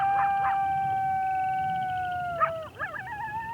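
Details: Coyote howl, played as an example of the higher pitch of coyotes compared with wolves: a long, smooth, steady tonal howl held for over two seconds, then broken into short wavering, quavering yips.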